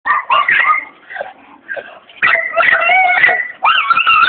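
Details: Seven-month-old red-nose pit bull puppy whimpering and whining: a run of high, wavering whines with quavering pitch, a quieter gap, then longer sustained whines, with faint voices nearby.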